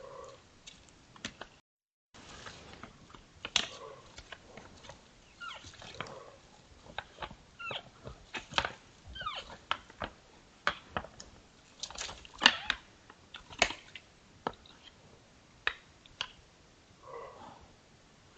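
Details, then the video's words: Two sambar sparring and making odd sounds: short, low, nasal moaning notes repeat at intervals among sharp clicks and knocks, with faint high bird trills in the background. "TWO SAMBAR SPARING & MAKING ODD SOUND,S"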